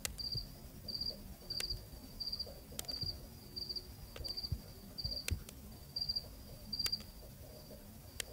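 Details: Night cricket recorded in Zambia, Africa, giving regular trains of high, pulsed chirps roughly every 0.6 seconds, with a soft low background hum and scattered brief ticks.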